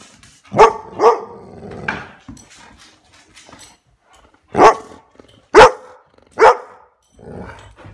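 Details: Playful Golden Retrievers barking: short sharp barks, a quick pair near the start, then three louder barks about a second apart, with soft shuffling and a faint grumble between them.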